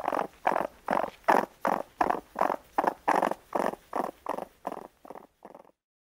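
A raccoon gives a rapid, rough churring series of pulses that slowly fade away.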